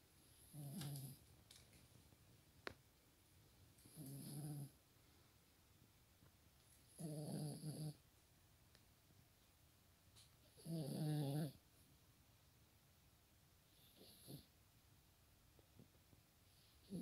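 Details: Sleeping dog snoring indoors: low rasping breaths roughly every three to four seconds, each with a rough rattling texture and a faint high whistle, quiet between snores.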